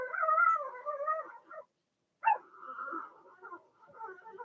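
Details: Cavalier King Charles Spaniel puppy, one of six Blenheim littermates in an indoor pen, whimpers with a wavering tonal whine, falls silent a moment, then starts again with a sharp yelp that trails into softer whining.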